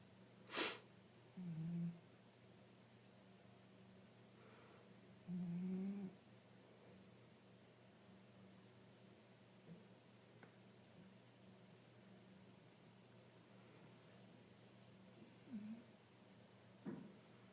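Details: Sleeping tabby cat, five years old, giving two low snoring breaths early on, then quieter faint snuffles, with a sharp click near the start and a soft room hum throughout.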